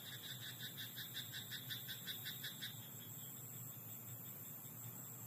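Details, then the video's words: Nighttime rice-paddy frog: a three-second string of crisp, pulsed croaks at a steady fast pace, close to three per second, that then fades, leaving a low background rumble and high insect-like hiss. "自然音 田んぼのカエル "Croaking frog in rice paddy at night""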